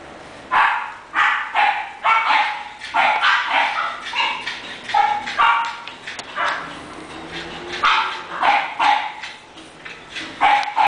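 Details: English Bulldog named Taury barking in a rapid series of short, sharp barks, roughly two to three each second with brief gaps, some ending in yelping tones; a voice is faintly heard.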